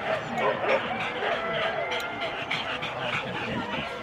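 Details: Husky sled dogs in four-dog teams at the start at Rendlesham in January 2016, recorded on analogue cassette tape: a dense, continuous chorus of overlapping excited barks and high yips from many dogs, with human voices mixed in.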